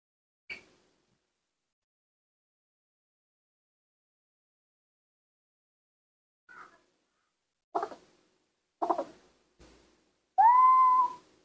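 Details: Newborn baby monkeys, reared by hand while learning to walk, give a few scattered short squeaks amid long quiet stretches, ending with a clear, drawn-out tonal cry that rises and then levels off.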